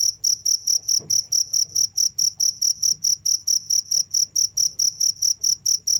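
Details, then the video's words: Nonstop cricket calling: a regular train of shrill, short chirps repeated a little over twice per second, with a faint low hum and a soft knock partway through. "the sound of crickets"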